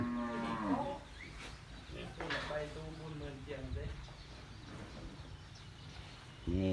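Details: Japanese Wagyu beef cattle at a pen in Ban Kruat district, Buriram province, Thailand, being readied for delivery to buyers; a short, deep, falling moo opens, followed by lower lowing mixed with a man talking.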